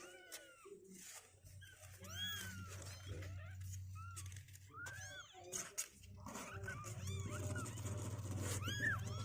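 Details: Two-week-old kittens with strengthening legs, leaving their box on day 16, produce scattered short arched mews, some faint, with pauses, over a low indoor hum and muffled background noise.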